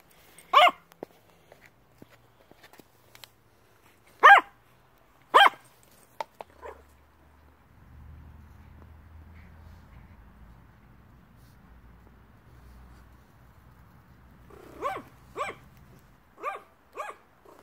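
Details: Yorkshire Terrier begging indoors with single sharp barks spaced a second or more apart, a low rumbling pause in the middle, then a quicker burst of four or five barks near the end.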